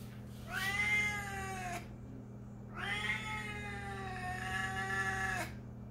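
A Siamese cat gives two long, loud, drawn-out meows with a harsh, wailing tone.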